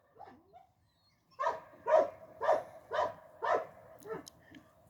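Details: Medo, a Croatian Sheepdog working dog used for herding, gives a quick series of five loud, sharp barks about half a second apart after a couple of faint yips at the start.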